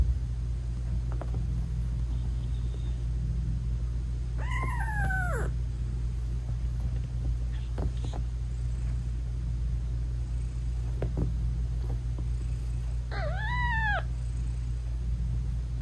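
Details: British Shorthair mom cat meowing to her newborn kittens while nursing; two separate falling, harmonic meows about nine seconds apart, with scattered faint clicks and a continuous low hum.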